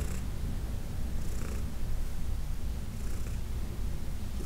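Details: Deep rumbling purr of the elderly adopted cat Heidi during a massage on June 17, 2021; unbroken low drone with soft rustling bursts near 0.1, 1.4, 3.1 and 4.5 seconds.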